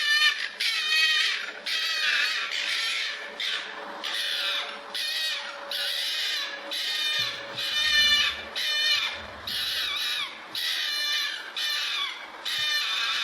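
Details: Fox calling in its natural habitat: harsh, high-pitched, raspy barks repeated about once a second in a steady series, each rough and penetrating, over a faint constant background hum.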